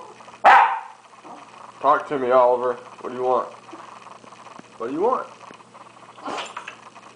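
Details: Hungry pet dog Oliver 'talking' while asking for a hamburger: a sharp yip, then wavering, harmonic, moaning yowls rising and falling in pitch, mixed with a person's voice speaking to him.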